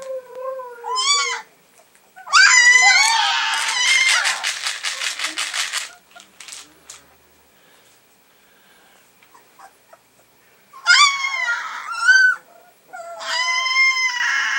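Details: Alaskan Malamute puppies, three weeks old: high squealing cries that rise and fall, a long burst of rapid yelping squeaks, a quiet pause, then more whiny squeals near the end.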